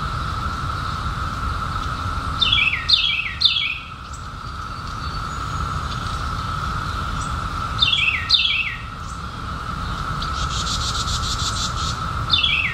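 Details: Periodical cicadas from the 2021 emergence after 17 years underground, a steady even droning hum running through the whole recording, while louder birds give short descending chirps in quick clusters around seconds 3 and 8.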